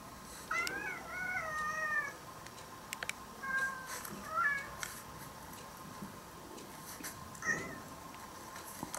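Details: Former stray orange-and-white cat being played recordings of cat voices: a drawn-out wavering meow followed by several shorter, softer meows spread over nine seconds, with scattered clicks and a steady background hum.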